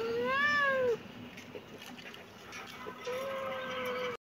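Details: Two meows from a kitten: a loud, bright rising-then-falling cry, then after a quiet gap a longer, flatter, softer meow, with faint indoor background.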